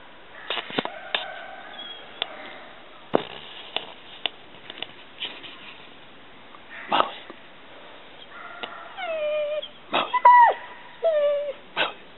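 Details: Mastiff named Maly, whining indoors: scattered clicks and soft snuffles early on, then a run of high, drawn-out whines that dip and fall in pitch, some wavering, bunched in the last few seconds.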